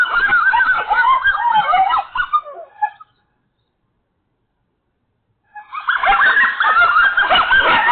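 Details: Group of coyotes in an agitated outburst: a tangle of high yips and wobbling howls for about three seconds, then a fading tail into silence, and the frenzied chorus bursts back in.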